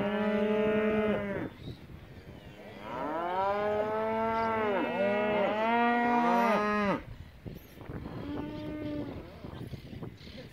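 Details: Angus calves from a lot of fifty, males and females around 200 kg, offered for a year-end auction in Junín: several overlapping harmonic moos, a short one, a long chorus of bending moos rising and falling together, then a softer moo.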